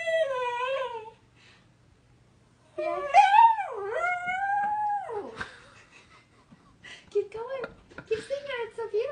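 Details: Pet pug howling along with a woman singing Happy Birthday indoors; drawn-out wavering howls that rise and fall in pitch, with sung and spoken voices and background music.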